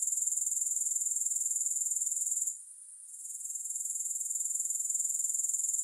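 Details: High, rapidly pulsing insect buzz from grasshoppers, no music; the chirring dips quietly for about half a second midway, then builds back to an even, rhythmic trill.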